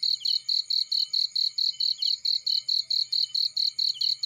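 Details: Field cricket chirping: sharp, high-pitched pulses in an even run, roughly four per second, loud and continuous over a faint low background hum.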